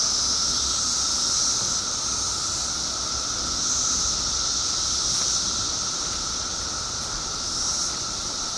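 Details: A massed chorus of periodical cicadas emerging by the billions in Illinois after 17 years underground. A shrill wall of sound swells and fades in slow waves over a constant thinner whine.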